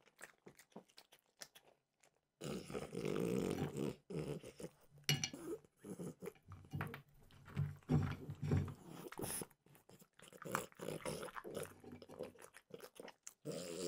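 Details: After a near-silent opening, steady crunching and mouth noises as French bulldog Mimosa works through peanut butter flavored Trader Joe's treats, bursts rising and falling with short gaps between bites.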